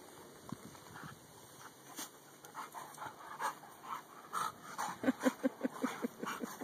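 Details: Dakotah and Kobi, a pair of male dogs and best friends, start with quiet scattered huffs that build into fast rhythmic panting, regular breaths about three per second toward the end.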